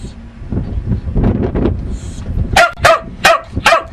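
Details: Pet dog barking at home: after a stretch of low rumbling background noise, four sharp, loud barks come in quick succession, roughly every third of a second, in the final second and a half.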